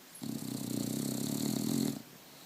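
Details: A sleeping one-year-old Bulldog, caught on a phone one morning, gives a long, steady, gravelly snore of nearly two seconds, a low droning rattle with airy noise over it and a quiet room around it.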